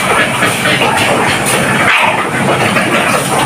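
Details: Loud dense broadband rattle, like a train or rushing machinery, fills the whole recording without any distinct animal call.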